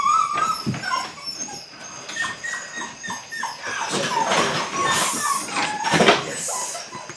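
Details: Belgian Malinois litter puppies at eight weeks in bite work training: a rising whine at the start, then soft repeated whimpers under heavier scuffling and rustle.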